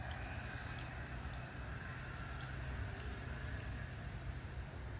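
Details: A red squirrel gives a bark call: six brief, clipped, high-pitched chirps spaced roughly half a second to a second apart, with a constant low hum beneath.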